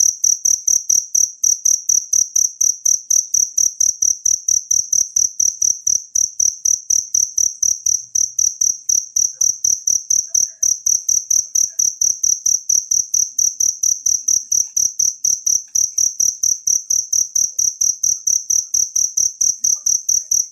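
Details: High, insistent pulsed chirping from a natural cricket meant for songbird training runs unbroken at roughly two chirps per second, loud and clear, with nothing else audible.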